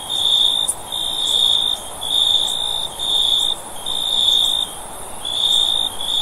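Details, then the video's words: Sustained shrill cricket trills pulse in roughly one-second bursts with short silences between, over a faint steady hiss. "Cricket Sound For Sleep"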